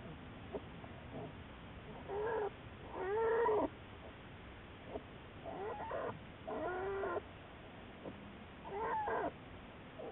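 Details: Juliet, an American black bear followed by Wildlife Research Institute researchers, on March 1, 2014: a series of whiny, mewing calls in bursts about a second long, some rising then falling, separated by quieter gaps with faint background hiss.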